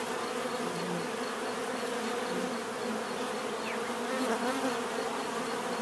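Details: Bees humming in a constant, dense buzz; individual insects occasionally rise and fall in pitch as they pass over the steady drone.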